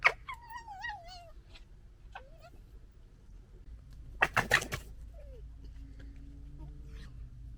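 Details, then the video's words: A fox fighting in 2021 gives high, wavering whines and a brief harsh chattering burst of gekkering. "Fox Funny Sounds"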